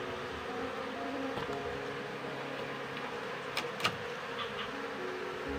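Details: Wild colony of Asian honey bees being moved into a cultivation hive box, the queen tied on a string as a lure; a steady, dense droning hum with low tonal bands throughout, broken by a few sharp clicks near the end.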